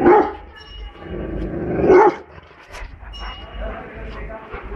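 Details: A very angry Rottweiler in the street, said to be attacking an elephant, gives two loud, gruff, harsh barks about two seconds apart over low traffic-like rumble and faint background noise.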